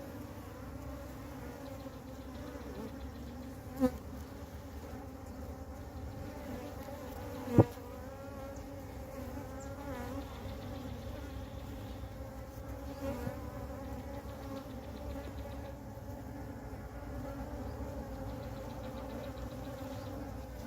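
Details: A huge swarm of western honey bees on the ground, where they had joined a queen unable to fly, gives a dense, steady hum: a low, droning buzz with no pauses.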